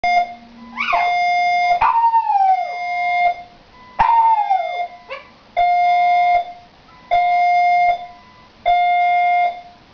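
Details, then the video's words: Gus, a young Shiba Inu puppy, howling at an indoor fire alarm he dislikes: wavering, falling howls overlap steady, loud electronic alarm beeps that repeat roughly every one and a half seconds. "Gus the Shiba Inu howls to the fire alarm"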